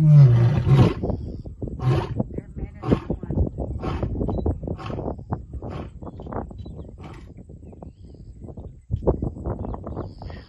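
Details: A bachelor group of three lions at Simba Kopjes, Serengeti, roar together defending territory: deep, heavy moans followed by a run of fast, grunting pulses.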